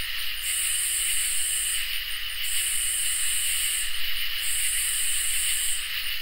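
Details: Crickets and katydids calling on a summer night: loud rasping high buzzes repeat about every two seconds, each nearly a second and a half long, above a constant shimmering cricket drone.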